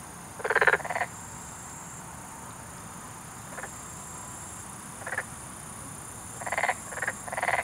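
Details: Black-spotted pond frog (Pelophylax nigromaculatus) in Korea gives short, creaky, pulsed croaks in irregular bursts: a mid-pitched, repeated advertisement call, usually given from the water with the two vocal sacs under the jaw inflated.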